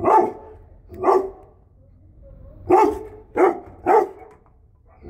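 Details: Female Great Dane and Belgian Malinois mix, a family house dog and guard, barking: two deep single barks about a second apart, a pause, then three quick barks in a row.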